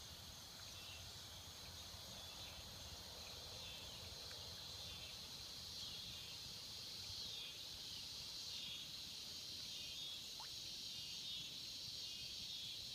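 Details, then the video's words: Cicadas sing in the swamps: an even, high, sizzling drone with faint wavering tones inside it, continuous from start to finish over low ambient noise. "Tranquility and the sounds of cicada in the swamps"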